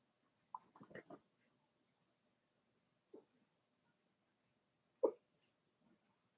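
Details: Four-week-old Cavalier King Charles Spaniel puppies in their pen with mother Daisy, giving short squeaky whimpers and grunts in a quick cluster near the start, then isolated single yelps separated by quiet pauses.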